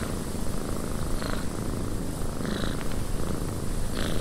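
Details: Purring house cat in a windy cabin: a low, even, vibrating drone beneath airy wind hiss, with occasional soft clicks.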